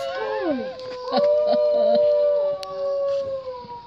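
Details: New Guinea singing dog (Canis hallstromi), howl.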